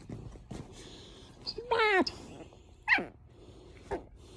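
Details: Merle Chihuahua puppy, female, four months old, making a 'talking' vocalization: a rising-falling whiny yelp with stacked harmonics around 1.7 seconds, then short sharp squeaks; a woman speaks softly nearby.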